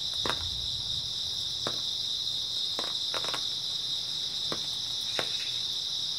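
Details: Grass insects chirping through an early autumn night, a constant bright high-pitched trill, with a few separate sharp clicks and faint low rumble beneath.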